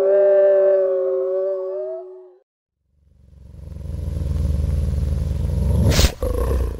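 A gray wolf gives a single steady, mournful howl of about two seconds that lifts slightly before fading, followed by rumbling, rushing background noise.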